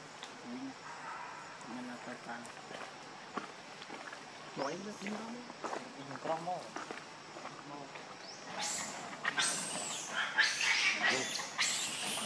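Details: Baby monkey Leo, hungry and begging its mother for milk, gives soft wavering whimpers over faint background noise, then bursts into loud, raspy screams near the end.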